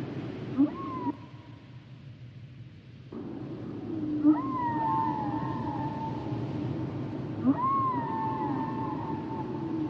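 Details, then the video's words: Humpback whale song with repeated rising-then-falling whistled wails that flatten into long sustained tones, each phrase opening with a short low grunt, phrases returning roughly every three seconds after a brief quieter gap. "Sounds and Songs Of The Humpback Whales"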